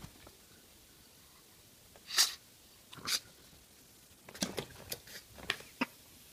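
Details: Pug sneezing indoors in a small room: one sharp burst near two seconds, another a second later, then a run of shorter snuffly bursts and snorts over the last two seconds.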